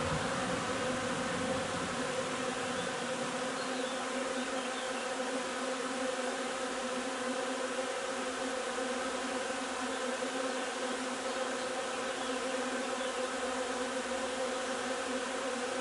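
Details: Steady drone from a honey bee colony gathering linden nectar, 3 June; the many-layered hum holds an even pitch and level across the whole stretch, with a slightly fuller low rumble at the start.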